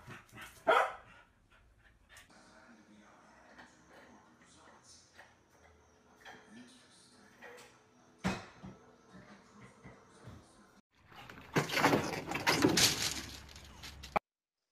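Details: Domestic dog barking indoors: a sharp bark near the start, another lone burst midway, then a loud, rapid cluster of harsh barks over the final few seconds, with faint talking and room noise between.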